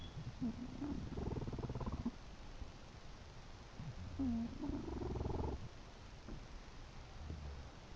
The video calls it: My English bulldog "Chester" snoring!